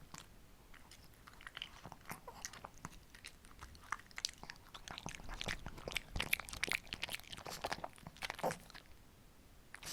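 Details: Homemade summer treats crunched by pet Shih Tzus, females named Ssamong and Jinsang, indoors: steady run of sharp crackling bites and chomps over ten seconds, growing louder and busier toward the middle, no voices.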